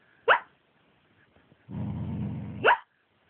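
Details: Pet dog taking a midday nap, dreaming of something unpleasant, gives two short, sharp squeaky barks about two seconds apart, with a low rumbling growl-like noise between them.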